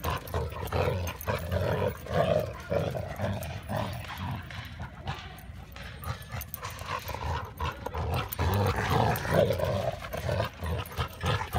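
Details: Playful tug over a tennis ball between dogs Hildy, yellow, and Harvey, chocolate: a steady stream of throaty growls and short gruff huffs, roughly two per second, rising and falling in loudness.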